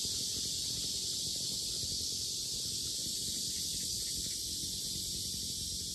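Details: Loud cicada chorus beside the lotus fields of Sinjeongho Lake, Asan, South Korea: a continuous shrill electric buzz, even in level and unchanging from start to end, over soft low background noise.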